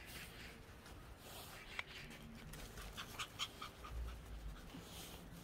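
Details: Pomeranian panting on a walk under cloudy skies, one of a household of three Pomeranians; quick breathy bursts come in an uneven run over light outdoor rustle.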